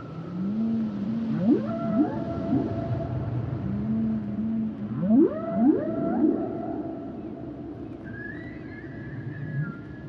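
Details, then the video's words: Humpback whale song: drawn-out low moans alternate with swift upward sweeps rising into higher tones, in phrases that repeat about every four seconds, and a thin high whistle enters near the end over steady underwater hiss. "Sounds and Songs Of The Humpback Whales"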